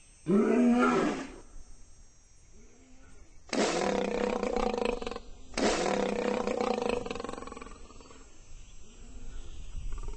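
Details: African lion in the savannah, roaring: a short throaty roar first, then two long, powerful, rasping roars of about two seconds each, separated by breathy pauses with faint grunts.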